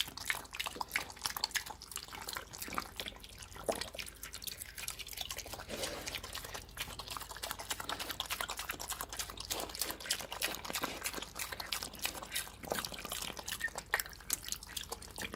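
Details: Hungry pig eating slop indoors, wet slurping and dripping noises with rapid irregular smacks and splashes throughout, liquid sloshing in a small room.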